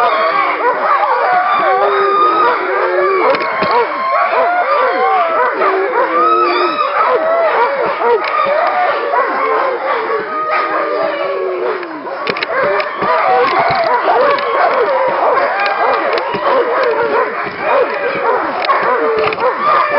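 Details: Nordiclight Alaskan Malamutes, a pack of working kennel dogs filmed in February 2012 around a little run, raise a dense, continuous chorus of overlapping wavering howls and yelps, many voices sliding up and down together for the full stretch.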